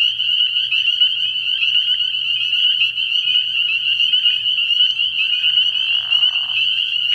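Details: Early-year pond at night alive with a spring peeper chorus: relentless shrill peeps layered together in a constant high ringing, with a short softer rushing sound near the end.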